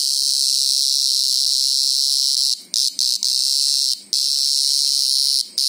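A greengrocer cicada screams in a loud, continuous shrill drone, broken by a few brief pauses.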